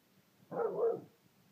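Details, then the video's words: A pet dog, a female, barks at her owner: one short, harsh bark lasting about half a second, with silence before and after. "Everytime she barks at me"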